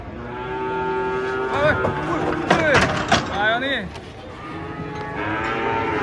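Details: Huge cattle descend from a tilting truck, giving sustained harmonic lowing broken by loud metallic bangs and scraping in the middle, then steady moaning again.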